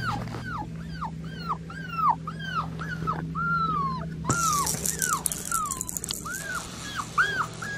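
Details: Blue merle male Australian Shepherd puppy from registered, health-tested parents, crying in a run of high whistled whimpers, each a short rising-then-falling arc repeated about twice a second, with a steady low hum beneath and a brief noisy burst midway.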